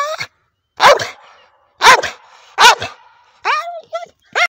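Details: Old male Staffordshire bull terrier, frustrated while digging and playing with a rope swing; three sharp, loud barks about a second apart, then a run of shorter, higher, whiny yelps with rising pitch.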